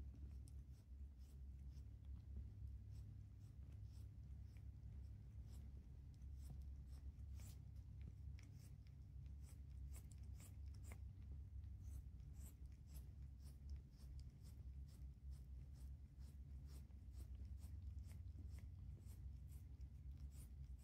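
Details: Rapid, steady licking by Stella, a calico cat, on a person's hand in a room. Dense, crisp, moist clicking strokes repeat throughout over a constant low hum.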